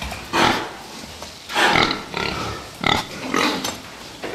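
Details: Fattening pigs giving harsh, broadband squeals and grunting squeals in four separate bursts about a second apart, with quieter shuffling in the gaps between them.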